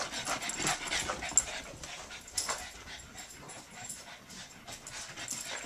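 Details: Indoor play between two Boston Terriers chasing and wrestling each other: rapid airy huffing and snuffling, roughly three to four breaths a second in irregular runs, with a few sharp clicks and knocks of paws or bodies.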